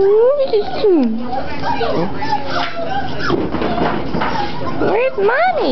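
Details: Seven-week-old cockapoo puppies at play, whimpering in high whines that swoop up and down in pitch, one burst at the start and another near the end, with human voices talking in between.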